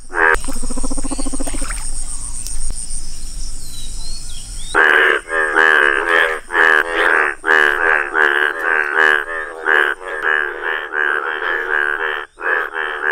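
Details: Indian bullfrog in its yellow colouring; after a few seconds of quieter mixed noise and insect buzz, a chorus of loud harsh croaks starts and runs on as rapid, regular, grating pulses.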